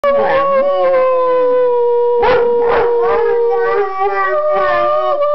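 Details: Dogs howling along with people: long, steady, mid-pitched tones with rich overtones, a few wavering and gliding notes layered over one another, loud and continuous throughout.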